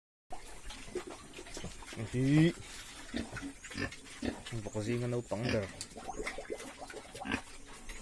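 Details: Farm pigs from a herd of several breeds (Yorkshire, Landrace, Hampshire) give short, rising, harmonic squeals near two and five seconds over low grunting, with human talk running through.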